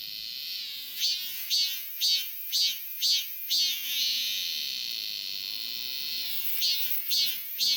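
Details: Robust cicada calling in summer: a high, buzzy drone broken into loud pulsing phrases about twice a second, a steadier sustained buzz in the middle, then the pulsing resumes.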